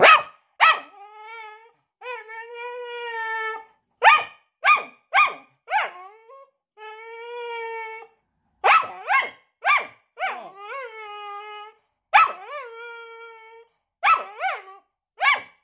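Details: A Staffordshire Bull Terrier showing off for the camera gives sharp barks between drawn-out, wavering howls.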